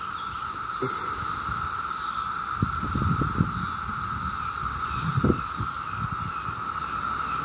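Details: Continuous high droning of 17-year cicadas in Maryland on a summer day, with hissing higher swells coming and going over it and occasional low thumps of traffic.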